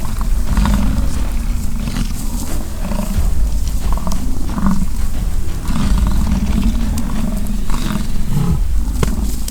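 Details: American bison during the rut, bulls fighting on a Canadian ranch in British Columbia: a chorus of deep, rough bellows in repeated roaring bursts about every second or two, over a dense low rumble.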